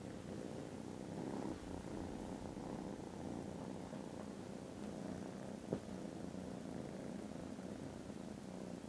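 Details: Sleepy foster kittens, contented after lunch, purr steadily in December: a low, even, grainy drone running the whole way, with a single small tap late on.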